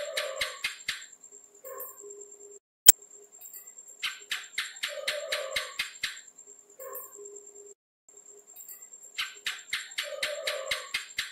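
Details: A house gecko gives three bursts of rapid chirping clicks, each a run of about seven or eight sharp ticks that speed along and then stop, with quiet pauses of a few seconds between bursts and one loud snap in between.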